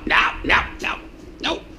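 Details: Pet red fox named Loki playing around the house and repeatedly trying to get into the recycling can. Four short, harsh, yelping calls come in quick succession, roughly one every 0.4 seconds, each falling in pitch, indoors.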